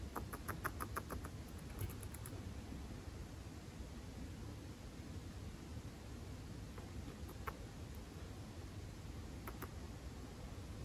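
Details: A young male standard grey chinchilla, born June 2019, makes soft, rapid "chichichi" ticking clicks in short bursts while relaxing on a room roam, against a quiet room hum; the owner thinks it is teeth chattering, perhaps a kind of call.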